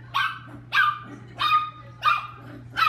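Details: Chihuahua at playtime, worked up and excited, barking five sharp high barks in steady succession, roughly one every half second, over a low electrical hum.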